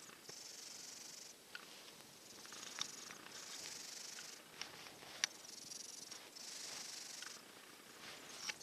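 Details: Silver tabby cat sleeping, listless while recovering from a cold, kept apart from the other cat and resting in a heated dog bed. It gives soft, hissing, breathy snores about every two seconds, with a few faint clicks.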